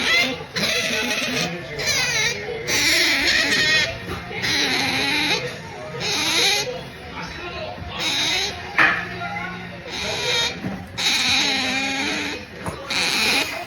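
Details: Pet otter Melonpan making pampering noises as it drifts off to sleep; series of shrill, wavering harmonic squeaks in bursts about a second long, separated by brief gaps, with faint voices behind.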